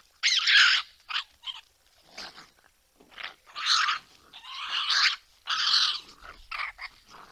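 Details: Several raccoons fighting over food give harsh, raspy snarls and screeches in irregular bursts, with brief quiet gaps between outbursts.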